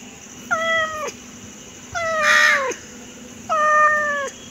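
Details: Domestic cat meowing three times, long nasal calls that stay level and dip at the close, spaced about one and a half seconds apart against a constant background hum.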